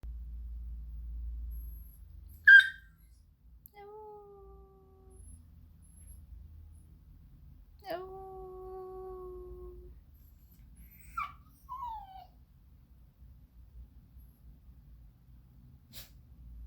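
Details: A bored Siberian Husky puppy gives drawn-out, steady whining barks, with a yawn and a sharp sneeze-like snort in between.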